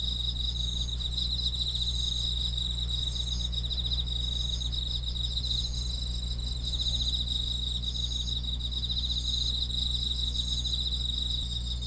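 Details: Grass insects chirp in a steady, high-pitched shimmering chorus of layered trills and pulsing tones, over a constant low hum.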